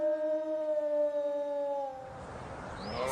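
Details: Wolf giving a long steady howl, one sustained tone sliding slightly lower over two seconds, after which it gives way to rougher mixed noise and a brief higher whistled sweep.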